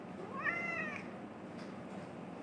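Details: A male pet cat meows in reply to its owner's questions: one soft, short meow that rises and then falls, followed by quiet room noise.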